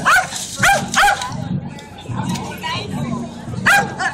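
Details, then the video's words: Dog barking at a toaster at the Atlanta Maker Faire: three sharp barks in quick succession, then a short pause and a fourth bark, with people talking in the background. "Dog barks at toaster."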